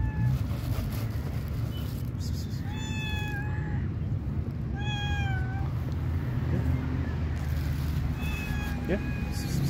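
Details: Shy stray cat on the street waiting to be picked up, giving several drawn-out meows with rich harmonics, one after another, with a short human voice and steady low background rumble.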